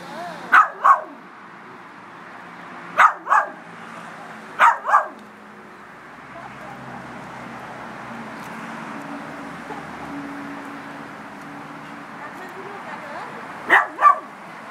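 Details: Frankie, a Miniature Schnauzer fighting a crab that intruded at his house, barks in quick double bursts at irregular intervals, with quieter gaps of background hum between them.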